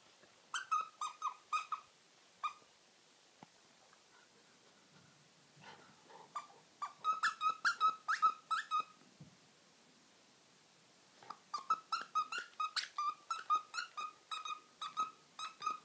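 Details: Jug dog, a very active pet, running around the garden shouting at birds and squirrels: volleys of high, clear, tonal yaps in quick runs, broken by short pauses and quieter stretches.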